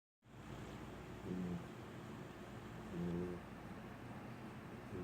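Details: A sleeping female puppy snores: two soft, brief, buzzing snores about two seconds apart, over a steady background hiss.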